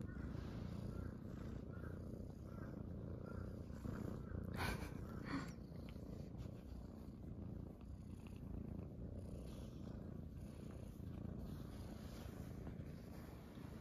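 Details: Several Munchkin kittens rolling about on their owner's belly after waking. They keep up a continuous low purr, broken briefly by a short rustling burst around the fifth second.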